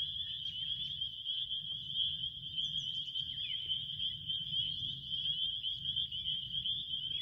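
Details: Crickets in a steady, unbroken high trill that holds one shrill pitch throughout, with a low rumbling background hum beneath.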